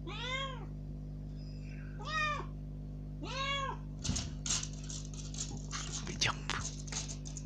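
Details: Rescued kitten, first time out of its cage, meows three times to be let out, followed by several seconds of clattering, rustling movement noises in the room.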